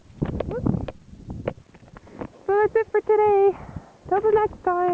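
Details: Six-week-old German Shepherd puppies, three from one litter, whining in high, harmonic-rich cries, some short and clipped, one held for about a second, over a man's praising words and rustling at the start.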